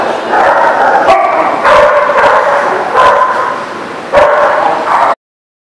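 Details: Dogs keep up a continuous, overlapping barking chorus on 30 March 2018, with louder bursts at roughly two and four seconds before the sound cuts off abruptly.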